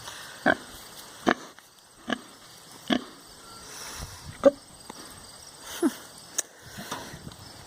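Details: A large pet pig waiting at home snorts and grunts in short wheezy bursts, roughly one every second, against a quiet indoor background with a steady faint hum.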